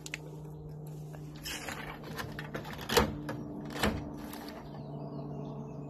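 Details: Inside a shed in Juneau, Alaska: a steady low electrical hum runs throughout, with soft clattering and two sharper knocks around three and four seconds, and no animal call heard.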